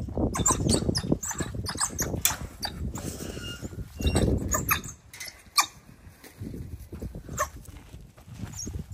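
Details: Eager African wild dogs as their meat is dropped off: bursts of shrill, squeaky chirps come in quick uneven runs, mixed with heavy low thuds and rustling from the feeding pack.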